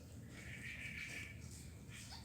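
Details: Three-day-old kitten, one of a litter kept indoors, gives a thin, high, steady mew lasting under a second, followed by a few faint higher chirps toward the end, over a low room hum.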